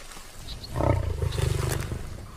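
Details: An Asiatic lion, a resting wild male tracked in the Gir forest, gives a deep, rumbling roar that swells and pulses for over a second.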